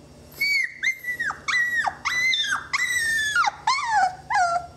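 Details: Twenty-day-old Saluki puppies from a kennel litter give loud, high, drawn-out whines, each cry sliding down at the end, about seven cries in quick succession with brief gaps.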